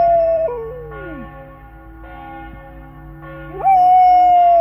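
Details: Church bells ring with repeated strikes while a flat-coated retriever howls along, a wavering falling howl at first, then after a bell-filled gap a fresh howl rising quickly and held steady and strong.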